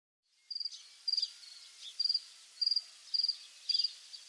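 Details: Crickets at dusk in the countryside: high, thin chirps of three or four rapid pulses, repeated roughly every half second, over a faint background hiss.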